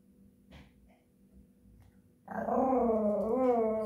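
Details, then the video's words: Singing Japanese Chin: after quiet sniffs, a loud sustained harmonic howl begins and holds for over a second and a half, its pitch dipping and rising in a gentle wave. "Japanese chin singing songs"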